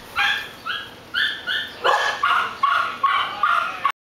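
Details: Dog letting out a steady run of about nine short, high-pitched barks, roughly two each second, clear and close with little else audible.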